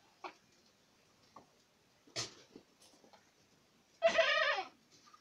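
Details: A Boer goat in Acatlán de Osorio, Puebla, gives one loud, quavering, strained bleat near the end after scattered knocks and a sharp bang.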